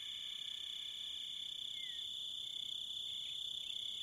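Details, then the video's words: Continuous high, ringing cricket trill holding a steady pitch throughout, with a brief faint falling whistle near the middle and a few scattered lower chirps toward the end. "Crickets And Wolves - Nature Sounds"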